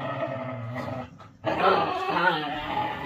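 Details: Whippet growling while playing with another dog: sustained low rough growls, a brief pause, then louder harsher overlapping growling and snarling.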